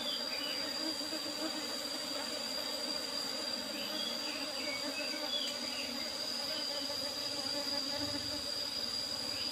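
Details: Colony of Apis cerana being harvested for honey from an old box hive with a used asbestos cover; unbroken low humming drone with an even high-pitched whine above and a few brief faint chirps mid-clip.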